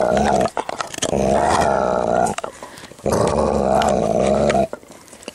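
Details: A Dalmatian guards his chew bone with long, loud rumbling growls, two sustained stretches of over a second each, and light rustling and tapping in a small room between them.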